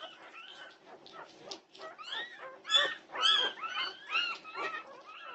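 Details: Norwegian Buhund puppies fuss at 2:30am, June 8, 2021. They make a rapid run of rising and falling yelps and whines, about two per second, with a few sharper squeals in the middle.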